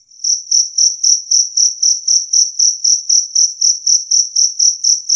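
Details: Clear, loud chirps of a two-spotted cricket, played to scare off rats. Bright high pulses come evenly, roughly four each second, in an otherwise silent background.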